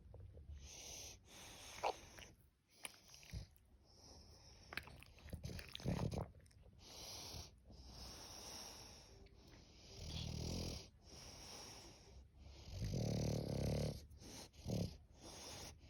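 An English bulldog snores loudly, with deep, rasping, wheezy breaths in an uneven rhythm.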